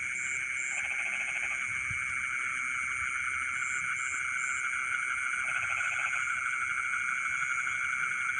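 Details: Rice-field frogs calling at midnight: two clear bursts of quick, pulsed croaks separated by a pause, set against an unbroken insect buzz and intermittent high double chirps.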